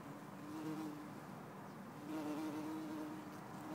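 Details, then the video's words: Bumblebee, Bombus hortorum or Bombus terrestris, in Lisbon on 4 December 2011, giving a steady low droning buzz that wavers slightly in pitch and loudness, heard almost throughout against faint background hiss. "Bombus Hortorum ou/or Bombus Terrestris ? - Bumble Bee"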